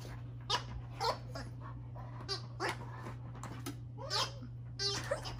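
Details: Pet dog indoors, excited and trying to bite a giggle ball; short high whining yelps and whimpers come in scattered bursts with pauses between, in a small quiet room with a steady low hum.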